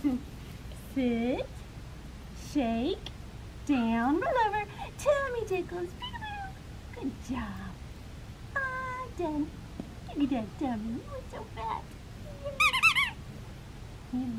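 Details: Black tri male Australian Shepherd puppy at Fifteen Acre Farms, Oklahoma, being held and cuddled: a run of short, arching, squeaky whines and yips, some rising then falling, repeated in bursts, with a person talking softly alongside.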